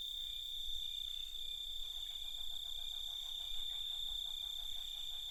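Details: Night chorus of crickets holding a continuous high-pitched ringing note, while a lower rapid pulsed rattling series joins partway through against a soft low hum.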